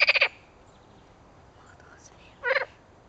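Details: Edible frog croaking: a loud rattling, pulsed burst at the start, then a second shorter pulsed croak about two and a half seconds later, with quiet background between.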